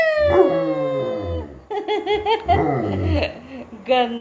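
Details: A German Shepherd following its mother gives a long, slowly falling howl, then a run of short, wavering yips and whines ending in a brief high cry.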